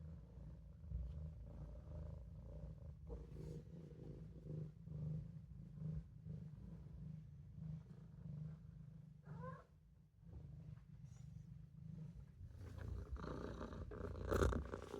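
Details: Olof, a Maine Coon kitten, purrs while napping in the sink: a continuous deep throbbing rumble that dips briefly mid-way, then ends with louder rustling and handling noises.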